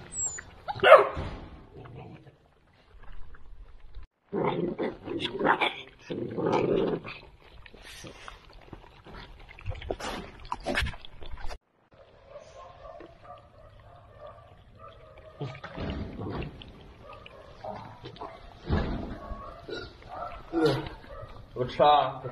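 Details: A litter of two-month-old Central Asian Shepherd Dog puppies at feeding time, giving a few short, rough barks in a cluster, then scattered yelps among chewing noises, with a person talking and coaxing them to eat throughout.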